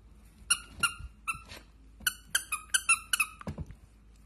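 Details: Samoyed dogs at play: about a dozen short, high, squeaky yelps in quick irregular bursts over four seconds, each bright and slightly falling, with faint low rustling between them.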